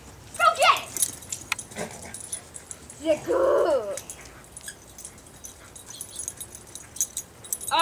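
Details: Pet dogs Jackson and Emi play with Emi's new squirrel-tail toy indoors. Short yelping bursts are followed by a longer whining, grumbling stretch near the middle. Scattered thumps and a person's voice are also heard.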